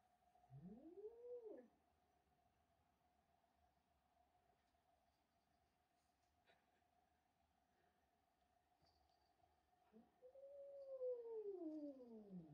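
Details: Male house cat, angry and unhappy at a young kitten coming into the house and stealing his tuna, giving two long, drawn-out yowls that rise then slide down, one early and a louder one near the end, over a steady electrical hum.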